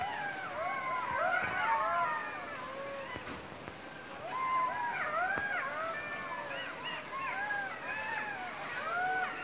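Several jackals howl together in a chorus of wavering, rising and falling wails and yips.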